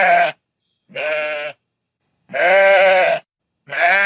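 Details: Domestic sheep bleating in rural fields: four loud, harmonic, slightly wavering bleats, each about a half to one second long, separated by short silences.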